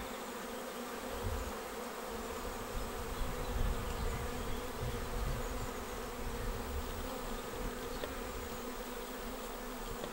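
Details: Honeybee swarm arriving at a bait hive swarm trap on 19 May and filing straight into the box, a dense low buzzing hum with surges of louder droning, steady throughout.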